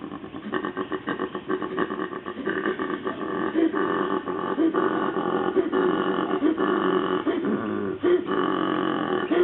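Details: Koala. A koala calls with a harsh, throaty grunting that pulses quickly and unevenly, much like deep snoring mixed with belching. The rasping sound runs almost without a break.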